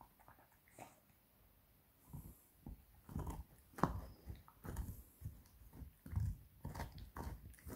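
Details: Seven-month-old beagle puppy gnawing a pig bone indoors: irregular dry crunches and cracks, quiet at first, then a dense run of bites from about two seconds onward, in a small room.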